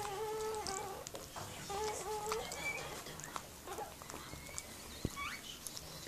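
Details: Miniature Pinscher named Mirella giving birth to puppies: short tonal whimpers with stacked overtones, some held and wavering, others brief and upward-sliding, scattered through a few seconds over faint clicks and room noise.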